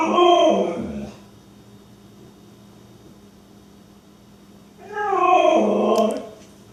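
Two long, throaty husky vocalizations, each about a second or more, waver up and down in pitch with a rough, moaning quality. The dog makes these grumbling sounds out of jealousy, with a quiet pause between them.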